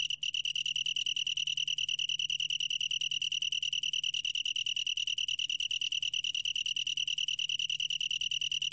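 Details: High, bell-like pulsed trill from a long-tailed tree cricket, rapid regular beats running without a break, soft low hum underneath; 2020 National Institute of Biological Resources recording.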